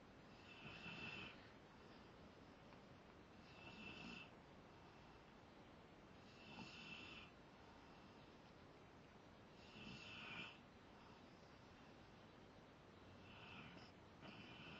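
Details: Zakk, a Rottweiler, snoring while asleep: hoarse, breathy rasps about every three seconds, each a short noisy burst with a hissing upper edge, separated by quiet breathing.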